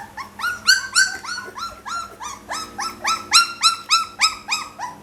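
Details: Pit Bull puppy giving rapid, high whining yelps, each rising then flattening, about three a second, in a steady repeated run with bright overtones.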